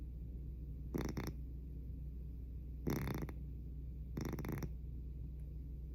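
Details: Domestic cat fast asleep, its snoring loud enough to be called a noise problem: three harsh, rattling snore bursts spaced about one and a half seconds apart, some split into two quick pulses, over a low steady room hum.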